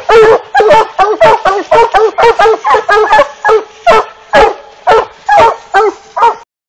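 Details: Black and Tan Coonhound barking loudly and steadily, roughly two barks a second, each short and harsh with a ringing tonal edge, continuing for over six seconds before stopping abruptly.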